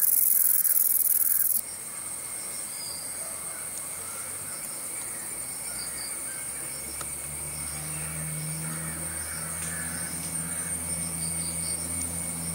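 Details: Green meadow katydid (Conocephalus melaenus) sings a steady, thin, very high buzz over a low droning hum.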